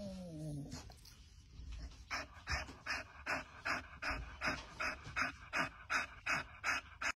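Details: Great Dane–German Shepherd mix, trained as a service dog, panting steadily: breathy, even puffs repeating about two and a half times per second, after a brief tonal sound at the start.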